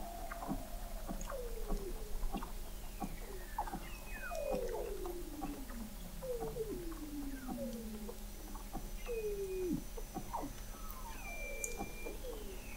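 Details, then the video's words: Weddell seals vocalizing under the sea ice of McMurdo Sound, Antarctica, captured in November 2017 by an underwater observatory 21 m below the ice: many overlapping descending whistles and sweeping glides, short high tones, and sharp clicks, several callers at once. "Song of the Antarctic Weddell Seal"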